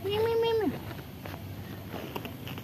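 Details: Pagoda cat, hiding out of fear of humans, gives a single drawn-out tonal meow that holds steady, then drops sharply at the end, followed by quiet outdoor background.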